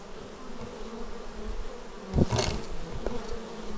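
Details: Low continuous droning from bees flying in to their hive, filmed on a Xiaomi Yi action camera; one bee zooms close near the midpoint, giving a sudden louder sweeping buzz before the hum settles again.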